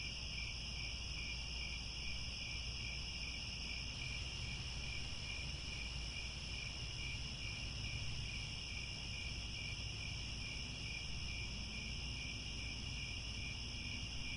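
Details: At sunset in grasslands near Angkor Wat, Cambodia, a dense chorus of crickets trills steadily in several high, overlapping pitches without a break, over a soft low rumble like distant wind or traffic.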